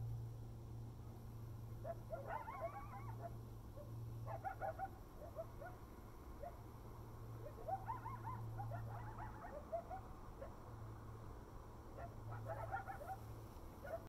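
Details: Coyotes at sunrise and moonset in November 2019 in Desert Hot Springs, California, yip and howl in wavering, rising-and-falling bursts over a steady low hum.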